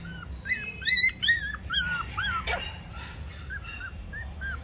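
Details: Toy Pomeranian puppies, male and female, in Mumbai whimper with loud, bright yelping cries at first, then softer arched whines fading out, over a steady low hum.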